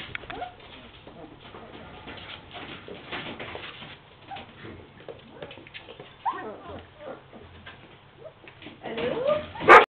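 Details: German Shepherd puppies at play indoors, giving short high whimpers and yips scattered through the scene, with human speech in the background and a loud burst of noise at the end.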